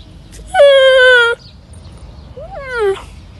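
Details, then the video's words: Camel calf with a sad, distinctive voice: a loud, level, nasal moan held for nearly a second, then after a pause a second cry that rises briefly and falls away, both strongly harmonic over a quiet background. "الصوت الحزين والمميز/ صوت صغير الجمل او الناقة"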